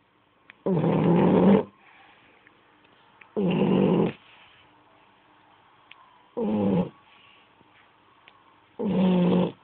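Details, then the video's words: French Bulldog snoring while asleep: four long, rough, broadband snorts, each about a second long, repeating every two and a half seconds with quiet pauses between breaths. "qui ronfle (Bouledogue Français)"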